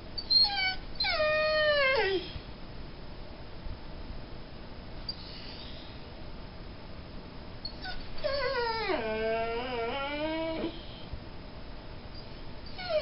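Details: A Mastiff and Great Dane cross dog whines in drawn-out falling tones, one at the start and a longer wavering whine that sinks and then rises again, separated by a quiet stretch.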